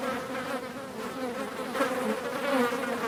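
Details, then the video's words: Steady buzzing of multiple flies, a low humming drone with a brighter overtone above it, slight wobbles in pitch and a louder swell in the final second. "Мухи жужжат, звук мухи (Flies buzzing"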